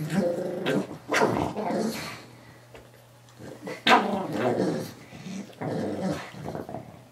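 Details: Pug called Moo Man taking on a new Ikea toy guinea pig, growling angrily; harsh rumbling growls in three bursts with a sharp snort-like bark near the middle, indoors.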